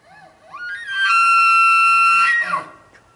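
A bull elk bugles, sliding up into a long, high, whistling scream before dropping away.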